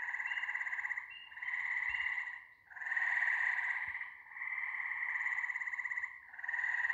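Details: ['Frogs calling together in a continuous chorus of buzzy, pulsing trills, with long overlapping phrases that swell and fade every second or two and a faint higher whine above.']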